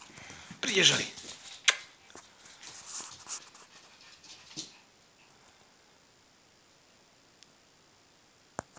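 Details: Yorkshire Terrier mother playing with her one-year-old pup: a sharp, bright yelp near the start, then a few shorter yips and scuffling noises with faint voices in the background, fading to near silence for the last few seconds.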